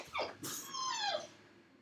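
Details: Dog left alone in a dog crate at home while its owner drives around the block; a soft, high whine slides downward and fades, with brief louder breathy bursts before it in a small indoor room.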